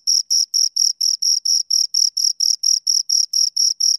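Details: High rhythmic chirps from two crickets, regular pulsing bursts around four each second, sharp bright tone with a faint higher layer, silent background.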